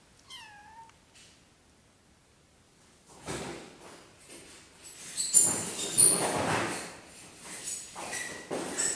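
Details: Three little kittens playing together indoors: one short, falling, harmonic kitten meow in the first second, then several seconds of scuffling, thumps and rustling as the kittens tussle.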